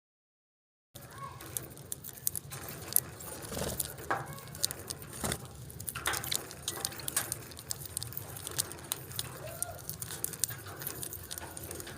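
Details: Indoor clatter, jangling clicks and a low murmur of voices, with no clear bird calls.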